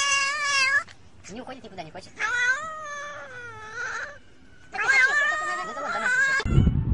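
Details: Domestic cats in a funny compilation, one called a talking cat, giving long, drawn-out, wavering meows with rich harmonics. Three main calls rise and fall in pitch, separated by short gaps with faint chatter, ending in a low rumble.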